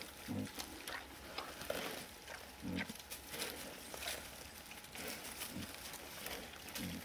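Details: Several wild boars in the Erős-oldal grunting: low, gruff single grunts spaced two to three seconds apart, five in total, amid continuous rustling of vegetation and hiss.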